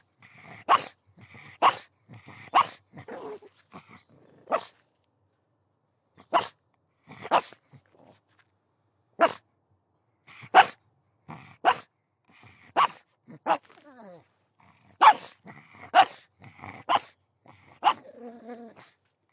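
A pug gives sharp, short barks in uneven bursts, roughly one a second, with brief pauses between runs.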